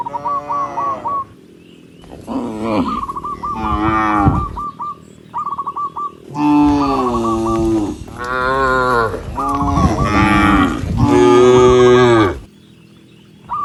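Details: Tens of tame cattle walk along a rice field road and moo in long, deep, droning calls, with short repeated bird chirps between them.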